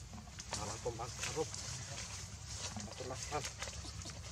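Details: Baby monkey Leo, hungry and crying to beg its mother for milk: short wavering, harmonic whimpers in two bursts near the start and one more later, over a low steady rumble and scattered clicks.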